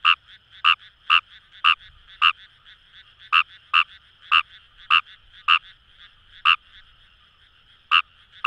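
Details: A Fejervarya kawamurai in Itoshima's paddy fields, Fukuoka, Japan, croaks rapidly in bursts, pairs and triplets of short clucks, about fourteen in eight seconds, with a short lull, over a steady background chorus of frogs.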